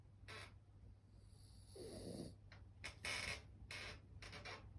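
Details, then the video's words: Moo, a female French Bulldog, asleep with her eyes almost open and snoring: soft breathy snores and short snorts come in bursts over a steady low hum in a quiet room. "目をほぼ開けたまま寝ていびきまでかくフレブルのモー The frenchie is sleeping with her eyes open and even snoring"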